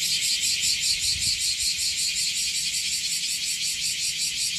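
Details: Bear cicadas singing in Okinawa, reported as more numerous than the day before: a dense, loud, harsh buzzing chorus pulsing rapidly and steadily, with a faint low rumble beneath.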